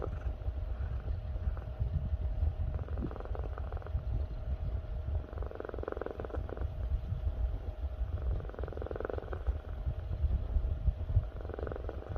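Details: Pet cat snoring, a low rough rumble that goes on throughout, with soft breathy swells returning every few seconds.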